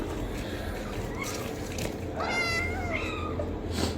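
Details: Domestic cat giving soft, faint mews, then a drawn-out, high, wavering meow that bends upward and slides back down, over steady low background rumble.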